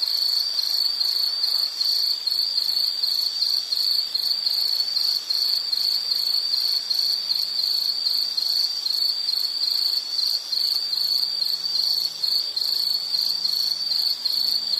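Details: Insect, likely a cricket, recorded as calming nature sound for study or sleep: an unbroken, very high, evenly pulsing trill for fifteen seconds, with faint low hum underneath.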